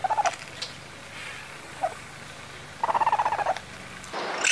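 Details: A young raccoon kit chitters in quick, squeaky pulsed bursts, a call raccoons give when calling their mother or interacting.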